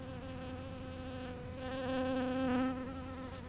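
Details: Bee working purple flowers gives a continuous humming buzz, gradually growing louder and fuller toward the middle as it nears, then easing slightly, with a soft low rumble underneath.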